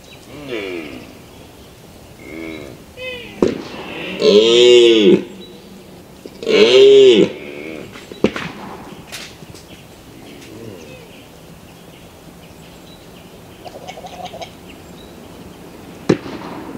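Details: Mouflon, a wild sheep, calling with two loud, drawn-out bleats that rise and fall in pitch, plus shorter quieter calls before them. Scattered clicks and low background noise follow.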